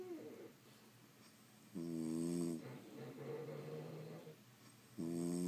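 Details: French Bulldogs sleeping indoors: rhythmic, rattling snores, each followed by a long, softer, nasal whistle as the dog breathes out.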